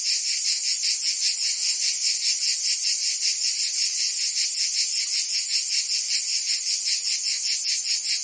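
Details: Provence cicadas singing on a summer day in France; many insects blend into one harsh, high-pitched drone that throbs regularly about two and a half times each second without pause.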